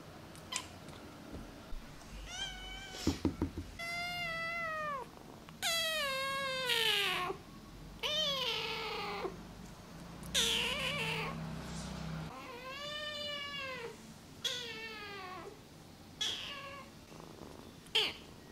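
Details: Namba, a one-eyed rescued feral kitten, meowing nonstop indoors: about a dozen loud, high, arching mews, each rising then falling and drawn out, some strained and shrill, coming in close succession with short gaps and faint low background hum.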